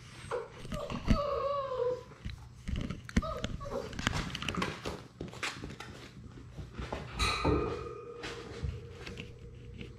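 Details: Six-week-old Labrador Retriever puppies from a litter of six, playing together in an indoor romper room; high, wavering whimpers and short yelps rise and fall among bumps, scuffles and chewing noises, with faint human voices in the room.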